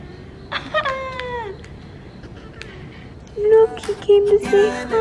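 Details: A small cat meows at people who greet it on a street in Korea while a mother cat rests nearby. One clear meow starts high and slides downward, followed by faint street background and later some tonal musical notes.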